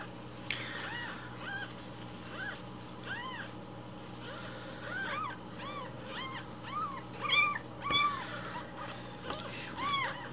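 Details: Rescued baby kittens meowing loudly in the morning to demand their milk breakfast; many short arched mews overlap at a quick, uneven pace from several kittens, with a steady faint hum underneath.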